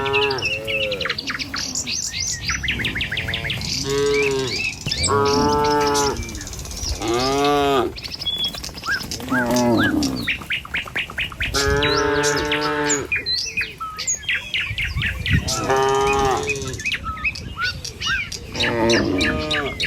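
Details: Tame cattle herd moving along a village road toward the pen in the morning, lowing repeatedly in long, deep, harmonic moos every few seconds, several overlapping, with chirping birds throughout.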